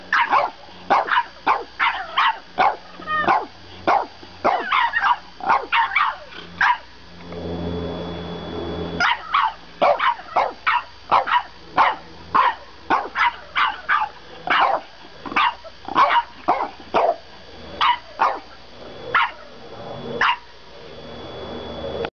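A French Bulldog barks in a fast, insistent string of short, sharp yaps.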